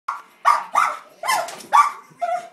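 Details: Pet Cairn Terrier barking excitedly at a televised Puppy Bowl game: six quick harsh barks, some doubled or ragged, over about two and a half seconds, followed by a person speaking.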